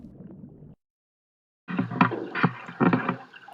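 Paddle strokes and water splashing against a small boat, with a low rumble before a brief silence.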